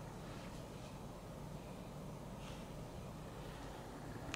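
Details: Quiet, steady indoor hiss with no voices or animal sounds.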